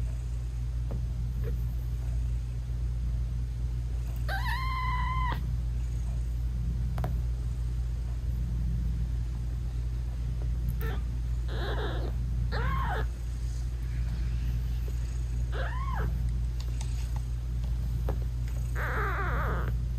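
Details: Nursing British Shorthair mother cat talking to her tiny newborn kittens, whose eyes are not yet open; a series of five short, clear meows, some rising and falling, scattered irregularly through a soft, steady background hum.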